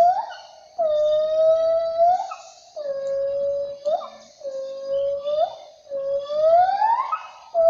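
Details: A Sumatran siamang gives long, clear, hooting notes that swell and slide upward, repeated in a steady series.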